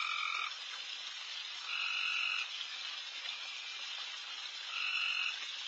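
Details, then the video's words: Frogs calling all over a backyard at night during a late deer feeding, a steady high shimmering chorus broken by three louder buzzing trills of about half a second to a second. "Night Deer... with Frogs in surround sound"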